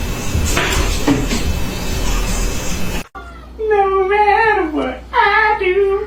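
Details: Pet cat uttering two long, wavering meows that rise and then sag in pitch, following a stretch of loud, noisy sound with music in the background.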